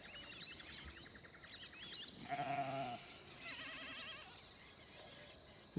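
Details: Sheep from a mixed Dorper, Damara and Persian flock with lambs, settled after a move to fresh paddock on a rotationally grazed farm, give one wavering harmonic bleat, while warbling, fluting wild birdsong runs before and after it.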